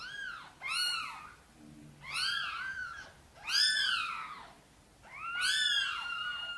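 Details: Sonny, a mother cat, gently meows to ask for help bringing her tiny kittens into the nest: four drawn-out, arching meows with rich harmonics, spaced about one and a half seconds apart in a quiet indoor space.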